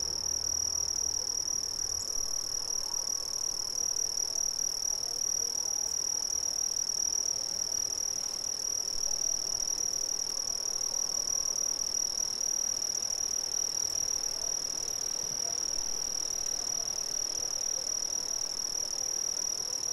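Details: Brazilian crickets sustaining a dense, piercing high trill that never breaks, a steady tone with a faint higher shimmer and a brief low rumble at the start.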